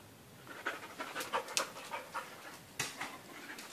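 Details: Panting dog: quick breathy bursts of noise, spread across a wide pitch range, repeated several times a second, with small pauses between.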